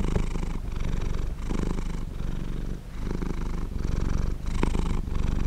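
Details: A domestic cat purrs steadily, royalty-free recording: soft, deep rumbling pulses alternating with inhale and exhale, several even cycles with brief quieter pauses between them.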